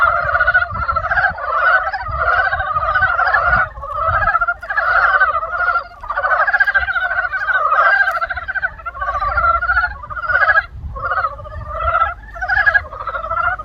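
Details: Frogs calling in spring, a thick chorus of trilled, pulsing croaks rising and falling in bursts every one to two seconds, with soft low rumble beneath.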